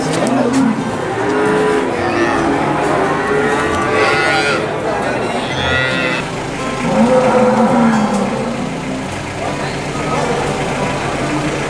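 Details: Cattle at the Boyolali cattle market, giving drawn-out lowing moos between a steady crowd murmur. Several animals call and overlap, and the calls are partly masked by market chatter and background engine noise.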